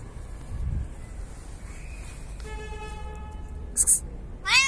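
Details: An 8-month-old female Bengal cat, outside for the first time, gives a steady, drawn-out meow followed by a shorter meow that bends up and down.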